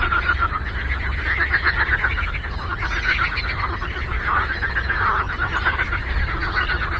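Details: Frogs in a chorus on a lake: many overlapping croaks form a dense, rapid, rattling texture that never pauses, over a steady low rumble.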